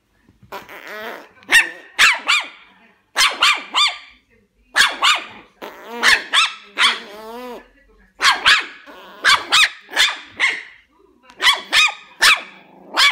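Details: Puppies barking in a compilation: high, sharp yaps in quick bursts of two or three, some drawn into whiny, wavering yelps, with short pauses between groups.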